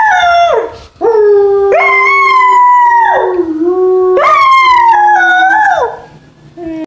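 An American Foxhound puppy howls in long, sustained notes that break and fall at their ends.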